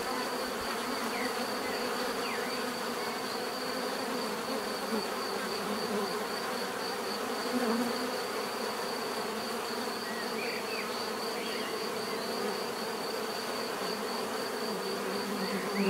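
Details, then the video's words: Continuous hum of many bees, a thick even drone without breaks, with a few soft bird notes rising above it now and then. "bees therapy relaxing natural buzzing sound"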